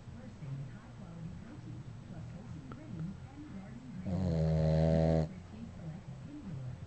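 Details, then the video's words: Dog asleep and snoring, soft rhythmic low breathing rumbles broken by one loud, steady, droning snore lasting just over a second. "Snoring Dog"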